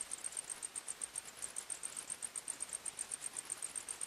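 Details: Insects in a nighttime forest, crickets giving sharp, high chirps in a quick even beat of roughly four to five per second, over faint hiss.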